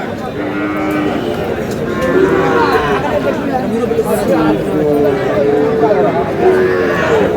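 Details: Sahiwal bull calves at a cattle market in Sherpur, Bangladesh, where a farmer is buying them: drawn-out low moos recur through the recording, overlapping one another, over steady background chatter of people.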